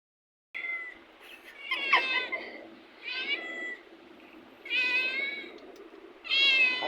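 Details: Domestic cat meowing while playing: a series of five harmonic meows, some rising then falling, spaced about a second apart, with quiet pauses between calls and no other clear sounds.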